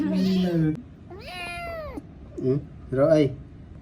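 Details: Kitten at play lets out an arched, whining meow that rises then falls, set between bursts of people talking in Khmer in a small room.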